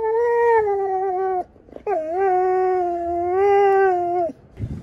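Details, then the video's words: Female Siberian Husky in a backyard, 'talking' while ignoring her owner: two drawn-out, moaning howl-like vocalizations, the first about 1.4 seconds long and the second about 2.5 seconds, each steady with a slight waver and a brief gap between them. "My Talking Husky"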